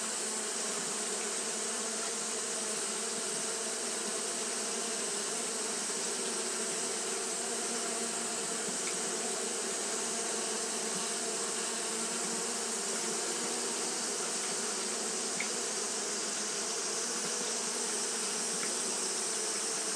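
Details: On a hot day, Japanese honey bees keep fanning without pause, giving an unbroken, many-voiced drone with a bright hissing wash over a low hum and a few faint clicks.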